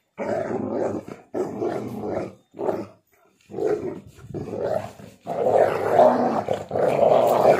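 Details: Two pet dogs, a pitbull mix and a husky, playing tug of war with a shoe, growling in rough, throaty bursts with short pauses, becoming louder and more continuous toward the end.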